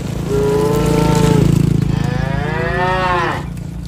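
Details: A cow in a tame herd walking home along a rural road with its herder gives two deep, drawn-out moos, the second rising and swelling before falling away.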